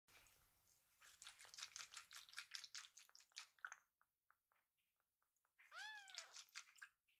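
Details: A rescued kitten named Pochamaru, lying belly-up after a full meal and being tickled, gives a short arched meow after a run of rapid clicking and rustling sounds.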